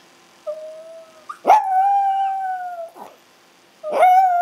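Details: Chihuahuas Ace and Oscar in a howl session, Ace's howling prompted by missing his mom: a soft low howl, then a loud sustained clear-toned howl of over a second, a brief yip and another howl beginning.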